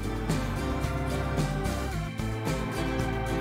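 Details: Gentle plucked-guitar music fills the whole passage, with no animal calls heard.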